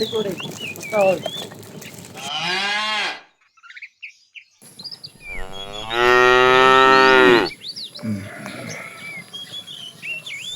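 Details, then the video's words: During afternoon herding of tame cattle, a fat cow calling the female lets out two rich, harmonic moos, the second longer and louder at about a second and a half, while small birds chirp in the background. "The funny sound of a fat cow calling the female"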